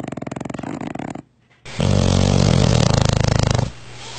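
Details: Sleeping dog giving a deep, rasping snore, a fast pulsing rattle broken by a brief pause, then a long, loud, low buzzing inhalation before fading back to softer rhythmic breathing.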